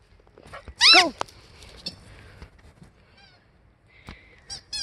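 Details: Aurora, a female Siberian Husky, out in a blizzard and eager for someone to play, gives one loud, wavering, high-pitched yodel that slides downward. Fainter squeaky whines follow near the end, with a person talking nearby.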